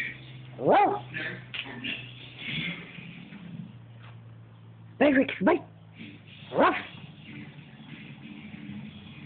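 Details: Rex the dog reacting to a paint roller with a few scattered yelps and short bark bursts, separated by quiet stretches over a steady low hum and faint voices.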